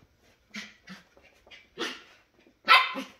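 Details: Pet Shetland Sheepdog at play indoors, one of a tri-color and grey pair: a run of short, high yipping barks, two quick ones, then two more spaced out, ending in a louder doubled bark.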